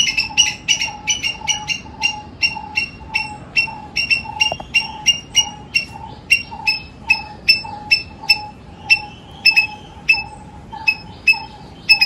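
A squirrel calls in a long, even run of short, harsh chucks, each a quick clipped note repeated about twice a second. The rhythm stays steady throughout against a quiet background.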